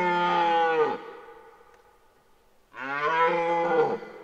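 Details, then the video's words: Two powerful, throaty bellows of about a second each from a rutting red deer stag in Parc naturel de Boutissaint, 2023, separated by a brief pause, rough and deep with a falling end. "Brame du cerf"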